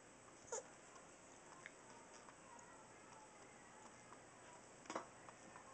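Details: A tiny two-and-a-half-pound pet Chihuahua that makes crazy faces before sneezing; two short, sharp, breathy bursts, about four seconds apart, over a quiet indoor background.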